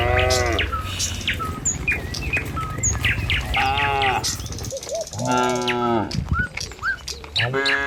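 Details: Herd of tame cattle walking a village road in the morning toward the pen; several drawn-out, loud moos about every two to three seconds, overlapping at times, with bright bird chirps and tweets scattered throughout.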